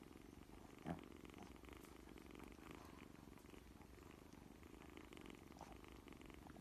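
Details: Newborn kittens trying to open their eyes for the first time, with a low, steady, continuous purr throughout and one brief louder click near the start.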